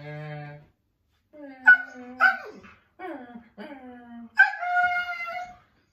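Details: Siberian Husky complaining to dad in a small room, short whining howls and yelps in broken phrases separated by pauses, ending in a longer steady howl; a low human voice hums at the start.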